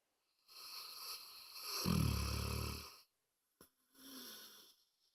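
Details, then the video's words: Loud indoor snoring from Moses, a pet dog: one drawn-out rumbling, wheezy breath lasting over two seconds, then a brief snort and a shorter, softer snore. "Snoring Dog"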